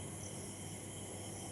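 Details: Night chorus of crickets shortly after rain, clouds hiding the stars, heard from a balcony: steady, continuous shrill trilling layered in several high bands over a quiet low hum.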